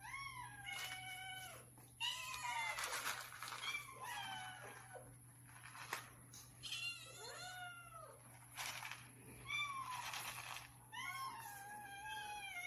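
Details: Several hungry cats meowing for food in the morning, each voice different: many overlapping arched and falling meows, some harsh and strained, repeated throughout with short gaps and a steady electrical hum.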